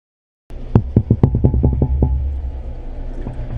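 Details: A group of red drum off the Texas coast, living in shallow passes between barrier islands, especially near spawning, drum with their swim bladders: deep, throbbing knocks blurring into a low underwater hum, like a finger rubbed on an underwater balloon.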